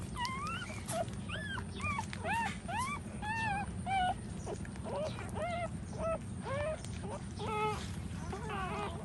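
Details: Nursing puppies at their standing mother keep up a rapid chorus of thin, upward-sweeping squeaks and whines, several callers at once, almost without pause, against a dull low background hum.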